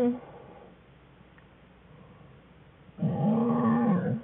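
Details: Cub of Jewel the American black bear cries in the winter den, February 21, 2013, as cubs Fern and Herbie begin playing; quiet den hush, then a sudden loud nasal wail lasting about a second with a gently arching pitch.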